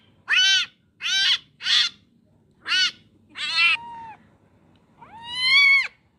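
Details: Kitten swept away by water calls with short, sharp, high meows in quick succession, then a longer rising wail at the end; the background is otherwise quiet.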